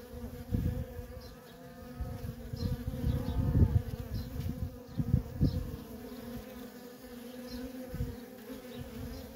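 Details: Worker honey bees moving nonstop at a feral colony: a steady drone broken by repeated loud, rough bursts as individual bees pass close, busiest in the first half.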